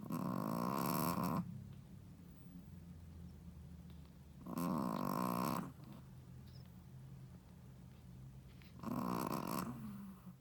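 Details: Sleeping Shih Tzu, a first-time mother, snoring loudly: three rasping, rattling snore bursts roughly four seconds apart, each lasting about a second, with quiet breathing between them.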